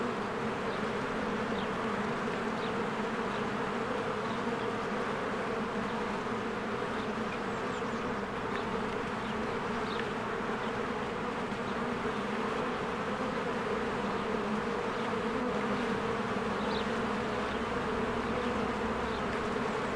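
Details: Honeybees working busily around their hive in spring: a continuous droning hum that holds steady throughout, with occasional faint high chirps, possibly birds, over the buzz.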